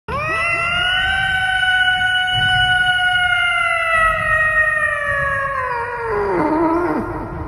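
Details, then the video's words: Cat meowing into a microphone: one long, loud, siren-like meow held steady for about six seconds, then dropping and breaking up at the end. "Cute cat meowing with mic"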